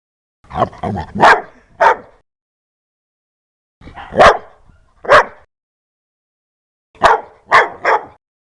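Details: Fierce, loud barking from a dog: a rapid volley of several barks, then single barks, ending in a quick run of three harsh barks, with silent gaps between.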